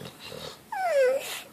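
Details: Sixteen-year-old female miniature dachshund vocalizing about wanting more belly rubs: one short, tonal whine that slides downward and holds briefly. A woman talks playfully to the dog just before and just after.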